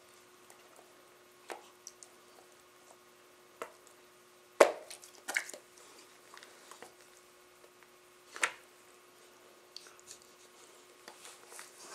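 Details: Wet squishing and dripping clicks sound against a steady electrical hum, with no animal voice. A few sharper knocks stand out, like small objects bumping indoors.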